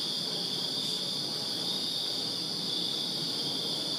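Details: Crickets chirping on a summer night in a backyard in Virginia: a steady, dense high-pitched trilling chorus in layered bands, continuous without pause, with faint low background hum.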